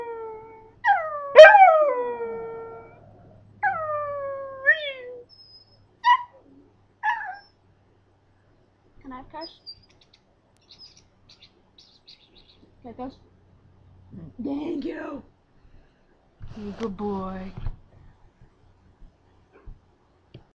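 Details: Pet Scottish Terrier teased into singing opens with falling howls and yelps, then fades into scattered whines and quiet rough vocal sounds with long silent gaps.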